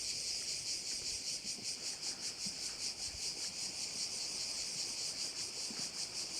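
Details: Continuous insect chorus of crickets over a Korčula bay in Croatia, a bright high-pitched shimmering buzz throbbing in regular pulses roughly every half second, with soft low background rumble.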